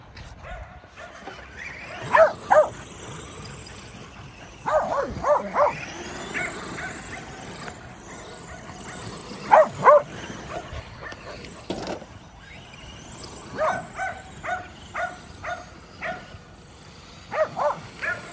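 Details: Kerry Blue Terriers at play with a Traxxas E-Revo remote-control car, barking in paired and clustered sharp barks separated by pauses, with a whining motor sweep in the background.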